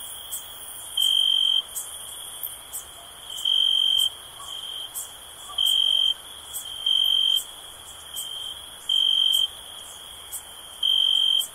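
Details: Soothing cricket sound: bright, pure high trills lasting about half a second, repeated at slightly uneven intervals of one to two seconds above a constant thin insect hum.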